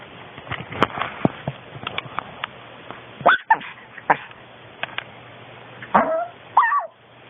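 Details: Long-coat Chihuahua, a female born in 2010, filmed at home: several short high whimpers and yips, a few with rising-falling whining tones near the end, with soft household background noise.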